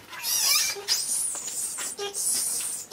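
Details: Pet monkey crying while trying to hug another monkey: thin, very high squealing whistles that sweep up and down in several drawn-out bursts, with faint music behind.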